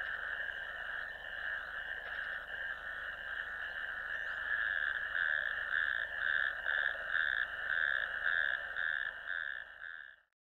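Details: Natterjack toads in a ditch on 1 May 2024, a wetland camera recording: a quieter, continuous rattling trill that swells and pulses in the middle, then cuts off abruptly into silence.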